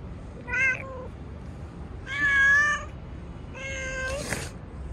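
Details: Stray street cat being petted, uttering three distinct meows, short, then longer and louder, then a final stretched one, each about a second and a half apart, with a brief rustle at the end.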